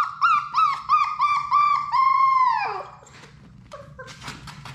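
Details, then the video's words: Labrador Retriever puppies, part of a litter of six in a play room: a string of short rising-falling whimpers, then one long drawn whine that drops and fades, followed by faint rustling. "Labrador puppies at play!"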